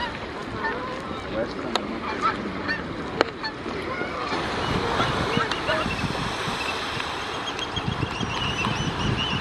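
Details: A harbor seal pup, born four hours earlier on Hopkins Beach, Pacific Grove, California, and already in the water with its mother, gives wavering, nasal bleating calls over the wash of surf.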